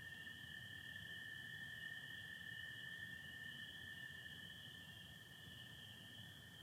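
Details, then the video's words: Spring peepers and American toads calling together in Michigan after dark on 24 April 2025, sky starry with some overcast; an unbroken shrill chorus overlies a long, level toad trill, fading slightly toward the end. "Sounds of spring peepers and american toads"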